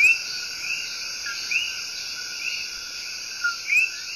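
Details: In Puerto Rico's El Yunque Rainforest, the small, loud Coqui tree frog sings a love song of rising whistled notes, some paired with a lower note, set against a thick, steady hiss of high insect chorus.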